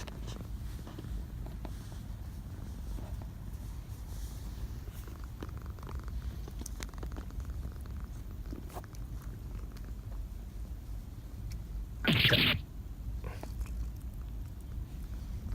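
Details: Domestic cat purring indoors: a steady, low rumbling hum running through the whole stretch, with one short, loud, broadband burst of noise near the twelfth second.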